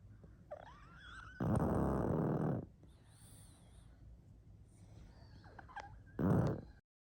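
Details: Sleeping pug snoring: a long, rough, rasping breath lasting over a second, then a quieter pause with faint thin squeaky tones, followed by a shorter rasping snore about four seconds later.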